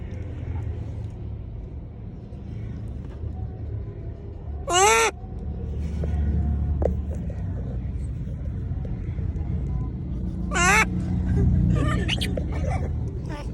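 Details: Monkey calling to people, giving two loud shrill cries about six seconds apart, each a rapid wavering bent squeal, with a low rumbling background and some murmured speech between them.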